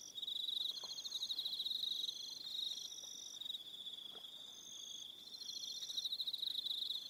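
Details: Crickets calling at dusk on Aroha Island, New Zealand: steady high, fast-pulsed trilling from several insects overlapping, swelling and fading slightly, with quiet clicks underneath.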